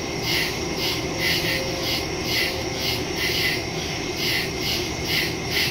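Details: Crickets in woods after dark, September 2, 2023, phone recording via Shure MV88+ stereo mic; high, scratchy chirps pulse about once a second or faster, layered callers, with steady low ambient noise beneath.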